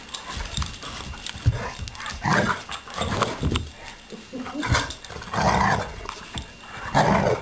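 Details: Two dogs at play, a three-legged male romping with a female who sometimes rebuffs him; low rough growls and scuffling bursts recur through the clip, with louder grumbling snarls near the end.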